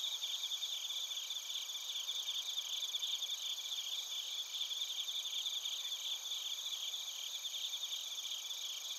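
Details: Bell crickets and crickets singing together in Narita, Chiba Prefecture, Japan, recorded with a TASCAM Portacapture X8: an unbroken, shimmering wall of high, thin trills with quick rhythmic chirp pulses running steadily throughout.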